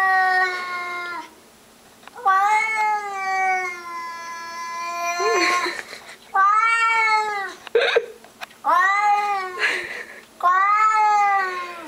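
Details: Pet cat yowling at a stray cat skulking in the bushes outside: long, drawn-out wailing cries that bend up then down, in five bursts with short pauses, some cries lasting over three seconds.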